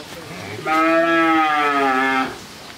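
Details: A 13-month-old Friesian heifer calf in Pabna, Bangladesh, gives one steady, droning moo of about a second and a half, rich in harmonics and slightly falling at the end, with only faint background noise before and after.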